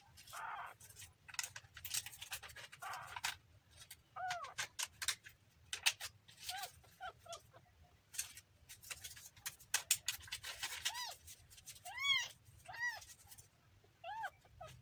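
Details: Kitten giving short, arched, high mews scattered through the recording, several in quick pairs near the end, over frequent sharp clicks and rustling handling noises.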